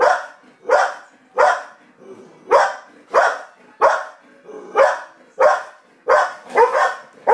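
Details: Household dogs Gracie and Coco, one barking at the TV and the other barking at her. Loud, evenly spaced barks come roughly once every second, with faint background sound between them.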